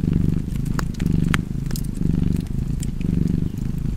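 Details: Close, loud cat purr with a fireplace: a rich low rumble alternating inhale and exhale about once per second, four cycles, with bright wood crackles sparking over the top.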